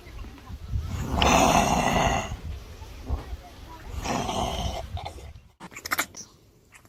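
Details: Kangaroo producing two drawn-out, husky, snore-like rasps about three seconds apart, followed by a few sharp clicks and faint breathy sounds near the end.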